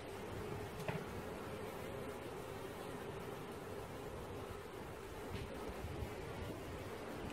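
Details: Swarming honey bees being caught fill the air with a continuous, even droning buzz at a steady middle-low pitch. Two brief clicks or knocks sound near the start and again around five seconds.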